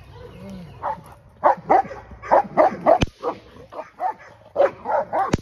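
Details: English Mastiff named Aries, a female, during her first training session: quick runs of mid-pitched barks, several a second in clustered bursts, with two sharp clicks cutting through.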